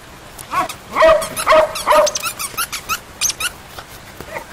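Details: Cream poodle Grant and other standard poodle puppies at play: three loud, clear yips in the first two seconds, followed by quieter, clipped squeaks and yaps tapering off.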